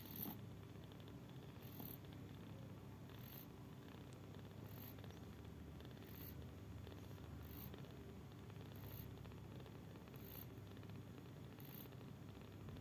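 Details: A mother cat snores while sleeping, a low even rumble running the whole time, with soft airy breaths returning roughly every one and a half seconds.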